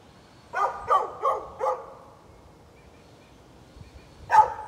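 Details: A neighbor's dog, recorded 13 November 2020, fires off four quick barks in a rapid burst, goes silent for over two seconds, then lets out one more loud bark.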